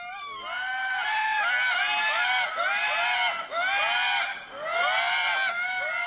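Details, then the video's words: An early-morning Indri alarm call in Madagascar: loud, wailing, harmonic cries sliding up and down in overlapping bursts. The guide believes the Indri probably saw a predator such as a hawk or fossa, not the observers. "This is an alarm call now, you know. They probably see one of the predators. It could be hawks or fossa, you know."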